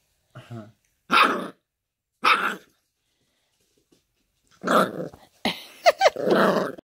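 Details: Scottish terrier recorded 4.3.2018, giving two short separate barks, a pause, then a rougher burst of harsh, growly barking running into the end.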